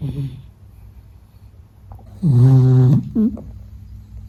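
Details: Meta the Beagle sleeping: soft low breathing, then one loud, buzzy, rumbling snore lasting under a second, followed by a brief snort-like catch of breath.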